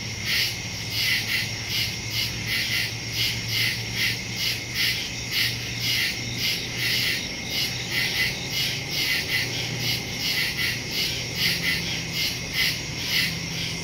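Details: Crickets in the woods at night, recorded September 2, 2023 on a Samsung Galaxy S22 Ultra phone with a Shure MV88+ stereo microphone; high pulsing chirps swelling and fading roughly twice a second over a steady shrill band, low hum beneath.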